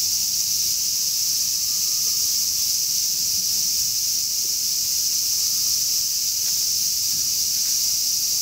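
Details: Large brown cicada singing in summer, a steady sizzling hiss held unbroken for the whole stretch, high and dense, with a faint low rumble underneath; part of a summer 'semi-shigure', a cicada shower.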